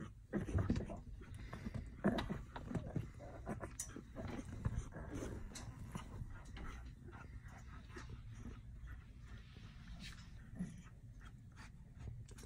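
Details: Baby lion cubs getting sleepy at Dade City's Wild Things zoo, giving low, soft grunts and breathy sounds, louder in the first five seconds, then fading into a quieter low rumble.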